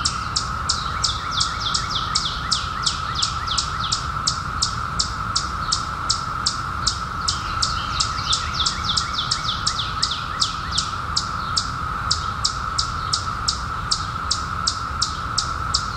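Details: A 2021 brood of periodical cicadas, out after 17 years hidden, makes a continuous steady hum; rapid high falling bird chirps come nearly three per second, with fainter lower chirping in the middle stretch.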